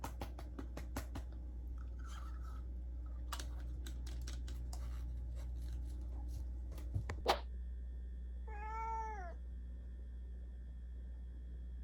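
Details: Pet cat indoors, rushing over thinking a supplement is a treat; several seconds of rapid clicking and chewing noises, then a single short meow rising and falling near the end.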